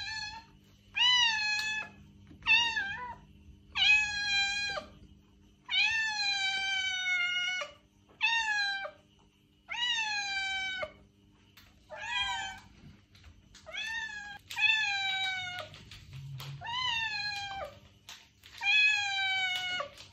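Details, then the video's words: A domestic cat meows repeatedly, as if calling to attract a stray: around fourteen clear, harmonic meows in quick succession, each under a second, with a faint hum beneath. "Cat Meows - To Attract Your Stray Cat!"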